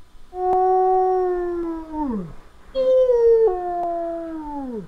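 A wolf gives two drawn-out howls, each a smooth, sustained tone held for over a second before dropping away. The second howl starts slightly higher and wavers briefly before settling and falling off.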